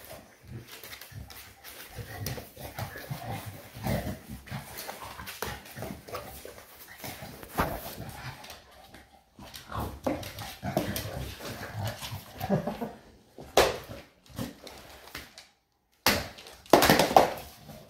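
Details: Eva the shar pei in wild play, producing a run of gravelly grumbles and short whining-edged growls, broken by brief pauses and bumps, with a sharp clatter near the end.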